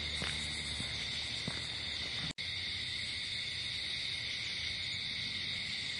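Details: Cricket chorus after dark outdoors, steady high ringing trill throughout, with a few soft low thumps early on and a sudden instant of near-silence from a cut just past two seconds.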